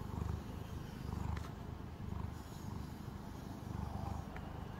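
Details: Brushed calico house cat purring: soft low rumble rising and falling about once per second, with a woman's voice at the very end.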